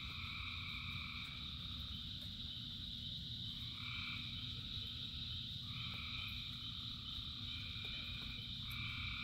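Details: Thousands of frogs singing in rain: a steady high droning chorus, overlaid by rich two-toned trilled calls that swell for about a second and return roughly every two seconds, over a low constant rumble of rainfall.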